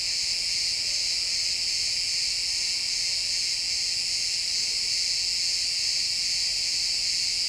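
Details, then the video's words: Crickets chirping in a pine forest at sunset, a dense, steady high-pitched trilling chorus with no breaks, layered in several bands, heard as woodland ambience in a stereo recording. "Cricket sounds in the pine forest"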